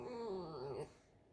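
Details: Alice, a pet fox indoors in a kitchen, squeaks to be petted: a single drawn-out, wavering whine under a second long, sliding gently downward then lifting slightly at the end, followed by quiet room hush.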